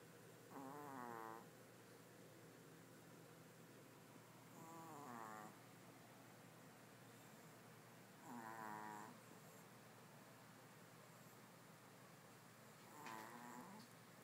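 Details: A sleeping Pomeranian, Chanel, snores beside two other dogs: four buzzy, whistle-toned exhalations, each about a second, recurring every four seconds or so over a steady low background hum.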